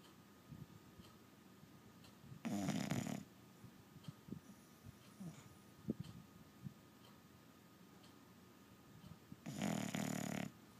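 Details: Dozing dog with two rough, rumbling snores about seven seconds apart, with soft breathing and small clicks between them.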